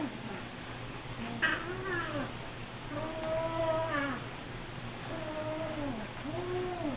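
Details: Several Siamese kittens meowing insistently for food as the refrigerator opens, only two hours after eating; loud, long, arching harmonic meows repeated about every second, overlapping one another, with a constant low hum behind.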